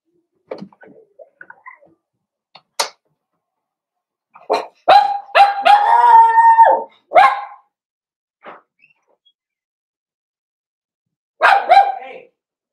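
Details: Blenheim Cavalier King Charles Spaniel puppies playing with their mother Paris in a puppy pen: scattered short yaps, then a burst of sharp barks and a sustained, growly tonal vocalisation around the middle, a pause, and a final yelping bark.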